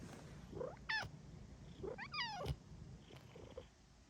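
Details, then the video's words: Cuddle-seeking pet female cat makes two drawn-out meows, the second wavering up and down, with faint softer chirps between and a low background rumble indoors. "Meows and cuddles from the sweetest cat around!"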